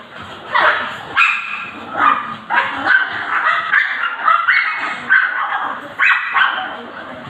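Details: Pomeranian puppies, excited and clamouring as their owner comes home after several days away, bark in sharp bursts roughly once a second, harsh yaps layered with higher yips, while a voice speaks underneath.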